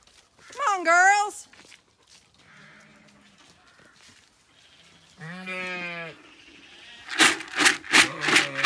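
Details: Zwartbles sheep moved along the long acre on a County Kilkenny farm in Ireland; a short rising-falling bleat, a quieter lower one, then a longer quavering bleat, followed by a woman's urgent calling.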